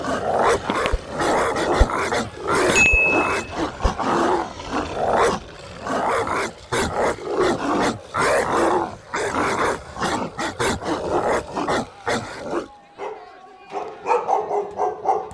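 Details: Dogs and puppies barking in a dense, busy stretch of overlapping rough barks and growly bursts for about twelve seconds, then a quieter, lower, softer tail of sound.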